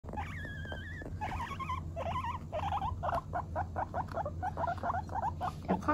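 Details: Two female pet guinea pigs, one long-haired and one short-haired, while eating; the short-haired one squeaks insistently to refuse the other's attempts to take its food. Repeated wavering, whistled squeals, then a run of short rapid squeaks over a steady low hum.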